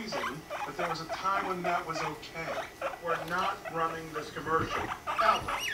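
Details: Guinea pigs Rumply and Fluff mating, Fluff aged five months; low droning purr-like rumbles run under chattering, harmonic squeaks and chirps that come in quick uneven bursts.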